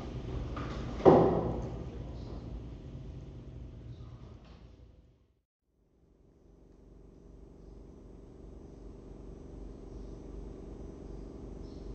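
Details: A voice and a sliding door in a small indoor room, then a brief quiet gap and a low steady hum, with no animal sound.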